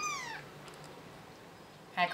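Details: A six-day-old kitten, rejected and kicked away by its mother whenever it tried to nurse, gives a high, falling mew at the start and a second brief cry near the end, with quiet room hiss between.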